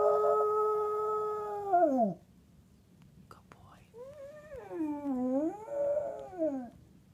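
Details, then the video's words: Otis, a little dog who has lost his voice, howls twice: a steady tone that sags and fades, then a short quiet gap before a second, wavering howl that dips, rises and falls again. "Howling little Otis has lost his voice..."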